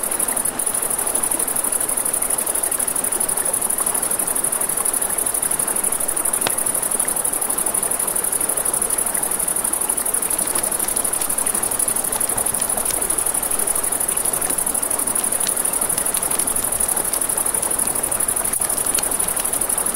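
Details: Nighttime riverside crickets hold a constant, shrill trill throughout. Sharp pops and crackles from a campfire break in here and there, over a steady murmur of running water.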